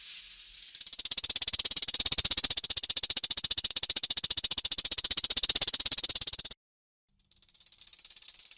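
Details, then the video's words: Rattlesnake shaking its tail rattle as a danger warning: loud, fast, steady buzzing of rapid pulses for over five seconds, a brief silence, then a softer hissing rattle resuming. "the RATTLESNAKE SOUND"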